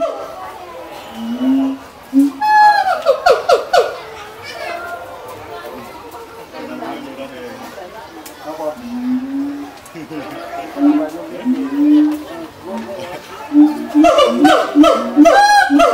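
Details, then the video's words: Siamang at Mangkang zoo in Semarang, Indonesia, letting out loud rising whooping calls in two bursts, the later burst quickening into rapid barking notes, while visitors and children chatter nearby throughout. "SIAMANG Binatang PALING MERIAH di Bonbin Mangkang Semarang"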